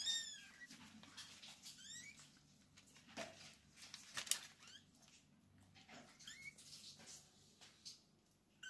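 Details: Kittens with their mother cat indoors: a few high, thin mews at the start and scattered later, separated by rustling and soft knocks in a quiet room.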